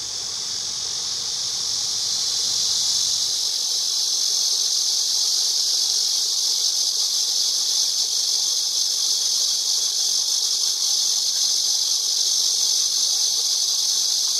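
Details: Cicada singing in a continuous, shrill, hissing buzz that holds steady and loud without pauses; a faint low rumble underneath drops away after about three seconds.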